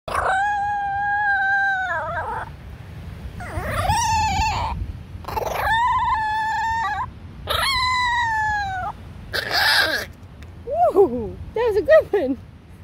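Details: Chihuahua on a beach in the United States 'singing': four long, sustained harmonic howls of about one to two seconds each, steady then dipping at the end, followed by a noisy burst and short wavering, up-and-down yelps.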